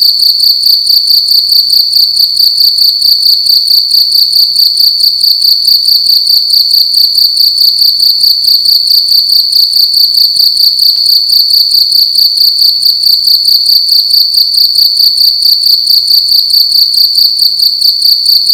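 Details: A cricket indoors in a room at night, calling loudly: a steady, high, shrill trill made of rapid pulses that runs without break, with faint low clicks beneath.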